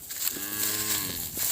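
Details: Cattle calves that cannot find their mothers call out; one drawn-out, even-pitched moo-like bleat of about three quarters of a second, set against steady background hiss.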